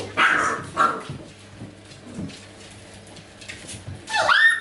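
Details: Golden Retriever puppies from a C litter, indoors during training with acoustic and optical stimuli; two loud high yelping bursts near the start, quieter shuffling, then a sharp rising squeal at the end.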